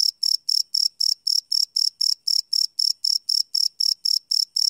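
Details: Crickets chirping at night, recorded live on a Sony PCM D100 field recorder: a loud, high, steady pulsing chirp, each burst a short trill, repeated about four times per second with no other sounds.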